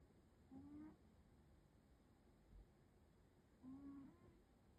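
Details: Alfie, a Maine Coon, napping and snoring, makes two soft, whistled breaths about three seconds apart, each brief and slightly rising, over quiet background hiss.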